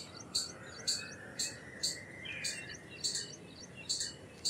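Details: Repeated shrill chirps from an Indian palm squirrel, about nine notes at a steady pulse of roughly two per second, with a soft hiss behind.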